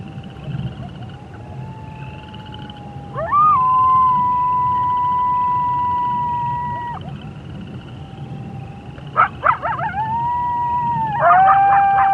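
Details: At night on a prairie, a coyote (Canis latrans) gives long, steady howls that rise sharply, then ends with quavering yips and wavering notes, with frogs and toads in the background.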